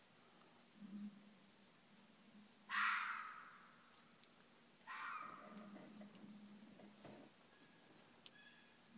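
A red fox gives two harsh, raspy screeches, with steady insect chirps ticking underneath.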